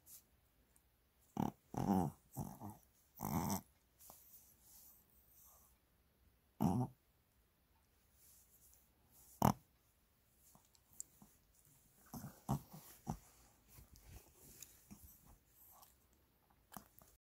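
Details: A Shih Tzu being massaged indoors, enjoying it: short breathy snorts and grunts in bursts, several close together early on, then isolated puffs separated by quiet gaps, with soft handling noises.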